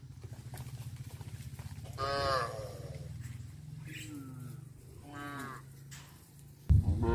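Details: Several cows on a village farm, walking back to the barn in the afternoon, give drawn-out moos, some wavering and harmonic, others lower and sliding down, over a steady low rumble, with a sharp knock near the end.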